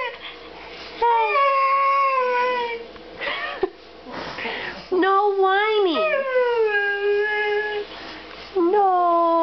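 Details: A pet Siberian Husky named Demon holds a 'conversation' with his owner indoors, giving long drawn-out howls that waver and slide downward, with brief breaks and a rising-then-falling swoop midway; a small room is audible.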